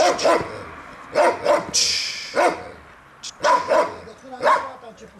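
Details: Central Asian Shepherd Dog, a Turkmen Alabai, barking during a territorial guard instinct test: deep broadband barks in paired and single bursts roughly every second, with a brief hiss of noise between them.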